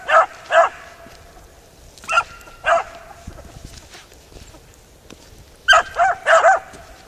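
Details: Beagle Harrier in a ploughed field barking in pairs, several seconds apart; the tonal, slightly hoarse barks sit over a faint background rustle, ending with a tighter cluster of four.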